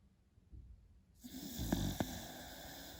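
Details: A beagle puppy sleeping, heard as one low, rumbling snore with two sharp snorting clicks, rising out of a soft background hiss.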